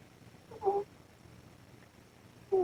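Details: Mother cat Ros asleep under the camera, giving two tonal, whistly snores about two seconds apart against a constant low hiss of boosted gain.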